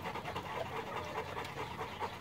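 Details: Boerboel, a South African dog breed, breathing in rapid, rhythmic pants: soft airy bursts following one another in an even series, with no other clear sounds.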